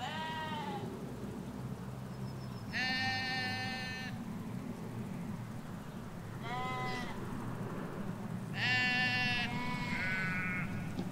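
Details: Ewes and lambs in a field in the Hampshire countryside bleating back and forth: five harmonic bleats over eleven seconds, some high and thin, others lower and wavering, over a constant low road rumble.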